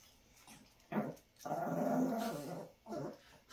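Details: Chihuahua named Dixie grumbles and talks in three short growling bursts, the middle one longest and rolling, in a quiet indoor setting.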